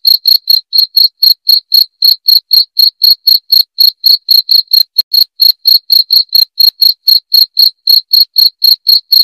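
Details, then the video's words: Rat-repelling cricket chirps: an unbroken run of loud, high, clipped pulses at about four per second, slightly uneven in spacing, heard against complete silence. "SUARA JANGKRIK PENGUSIR TIKUS"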